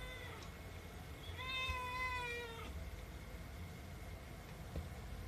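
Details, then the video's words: Female Himalayan cat, seven months old, meowing insistently while begging for food: one long harmonic meow of about a second and a half, then quiet with low background rumble. "ご飯が欲しくて鳴きまくるヒマラヤン【猫の鳴き声】The cat(Himarayan) meowing because she want some catfood."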